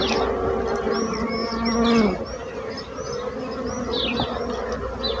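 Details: Bees humming in a loud, steady buzz that briefly dips after two seconds, with thin rising bird chirps and twittering above the drone.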